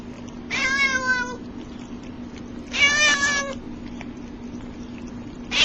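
A domestic cat gives drawn-out, nasal meows that sag slightly in pitch, about two seconds apart.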